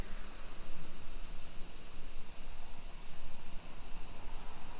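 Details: Cicadas on a summer afternoon, 2 PM on 28 July 2021, in a suburban neighbourhood of Nisshin near Nagoya, Japan, fill the air with a steady, high, shimmering drone that never pauses.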